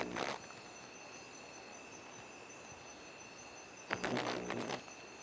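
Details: Hypopachus variolosus, the sheep frog, found on the path to the kitchen at Santa Rosa, ACG, 7:30pm, feeding on termites; a brief nasal buzz opens, then a longer rasping bleat follows about four seconds later, with constant high-pitched insect drone.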